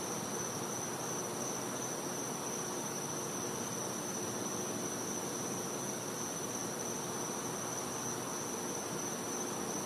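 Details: Cicada heard in a back yard in Florida during a winter night, giving one continuous thin, shrill note that holds steady throughout above a broad wash of hissing noise.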